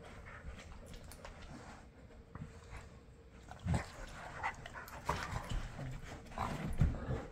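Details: Bernese mountain dog and an Aussie poodle husky mutt wrestling in play on a Monday morning; low, rough growling bursts and scuffling, loudest near the end, with panting between.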